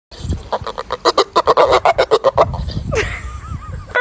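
A dog makes a fast run of nasal, honking yelps, then a few thin, wavering whines.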